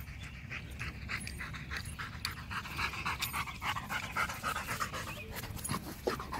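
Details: Macho, a Rottweiler, pants hard after playing fetch: rapid, breathy, noisy bursts repeating several times per second, fairly steady, with faint outdoor background noise.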